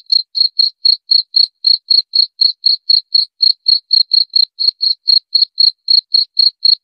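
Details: Cricket chirping steadily, short bright pulses at a high, even pitch repeated about four times per second without pause; no other sounds, clean and quiet background.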